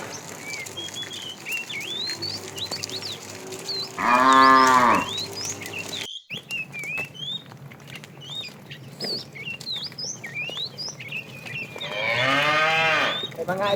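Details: A fat cow in a tame herd being herded in the afternoon, calling the female: two long, loud, harmonic moos around one second each, separated by a quieter stretch, with many small birds chirping and twittering throughout.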